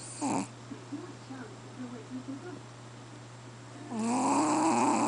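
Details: Chihuahua QBY snoring in its sleep, louder than a human: a short snore cuts off at the start, then quiet breathing, then a rising, whistling snore builds from about four seconds to the end over a low steady hum.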